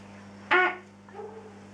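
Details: Big-eyed tree frog, Leptopelis vermiculatus, calling: one short, harsh note rich in overtones, then a faint softer tone trailing off, over a steady low hum.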